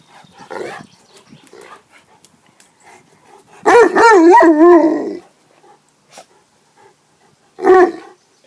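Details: During a swim outing, a Leonberger lets out one drawn-out, quavering whine lasting about a second and a half, followed later by a brief sharp yelp, with faint splashing and rustling between them.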